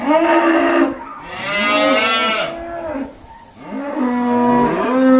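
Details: Several Irish Dexter cows call nearly nonstop at Stone Meadow Farm on a noisy sorting day, loud harmonic moos overlapping and wavering, a brief lull near three seconds before more bellowing.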